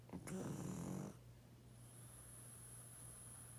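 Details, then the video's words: Loud snoring from a sleeping 12.5-year-old male pug: one long, coarse, rattling snore lasting about a second, then quiet breathing time with only a steady low hum and a faint high whine. "Pug play, sleep 😴 & snoring loud"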